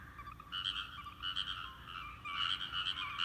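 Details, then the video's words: Chorus of frogs in a paddy field: quick pulsed croaking trains, a brief lull in the middle, then several frogs resuming together in a dense rattling sequence. "カエルの合唱！】季節の風物詩、カエルの鳴き声 人の気配でピタリと止んで"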